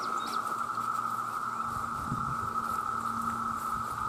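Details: Male cicadas crying out for mates in vast numbers give a level, continuous buzzing drone; a faint low hum and a brief chirp sit beneath it.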